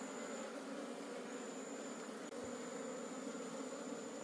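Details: Honey bees from a wild forest colony during a wild honey harvest. A steady, dense low hum from many bees holds throughout, with a faint high whine and one brief click.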